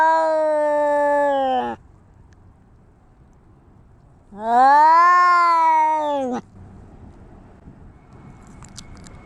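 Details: Two separate drawn-out yowls from fighting cats, each about two seconds long with an arched pitch contour, separated by near-silence with faint background hiss.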